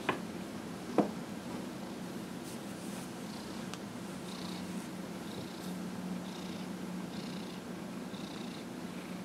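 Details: Dillard the cat, aged 15 and a half, purrs continuously while massaged on January 31, 2018: an even low drone with a faint higher hiss pulsing roughly once a second, plus an isolated tap near the start.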